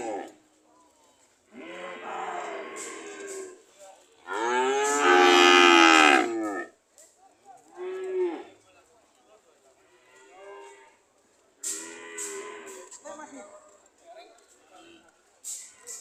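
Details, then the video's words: Cows ready to leave, mooing repeatedly in short and medium bellows with quiet gaps between. One loud, long, rasping moo stands out in the middle, followed by softer, shorter calls. "The sound of Cows ready to leave"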